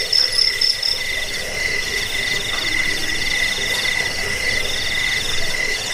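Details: Cricket chorus used as a recording to repel rats and as a training model for songbirds: steady pulsed chirps in several layered bands, overlapping rapid trills from many insects, with a high whistled pulsing at the start.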